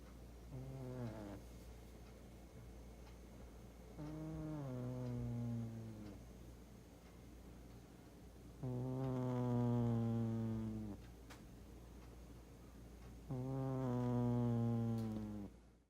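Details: Doosik, a large domestic cat, snoring while sleeping indoors: four resonant, nasal, trumpet-like snores, growing louder and longer through the sequence, each slightly falling in pitch, separated by hushed inhalations.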